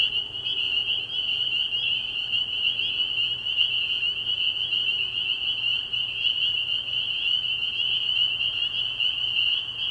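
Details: Many spring peepers calling together after dark at a pond in early spring, their high whistled peeps fused into a steady, even ringing that holds for the whole stretch over a soft low hum.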